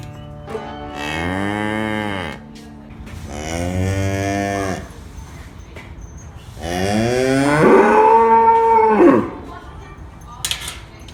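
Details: Real cows mooing. Three long, deep moos, each about two seconds, swell and fade in turn. The third is louder and ends in a higher, strained bellow. Faint music plays underneath.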